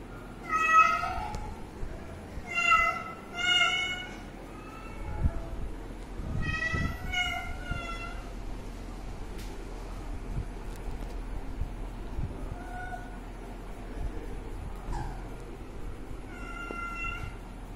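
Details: Kitten by its water, meowing in a few bursts early on, then quieter with low rumbling, tapping noises and a couple of faint later meows.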